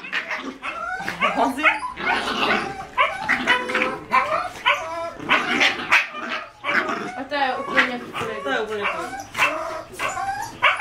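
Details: Male Cin Cin and female Cioccolata, 5-month-old Jack Russell Terrier puppies from one litter, playing roughly: rapid bursts of growling barks and higher yips, closely overlapping, in short clusters with momentary gaps.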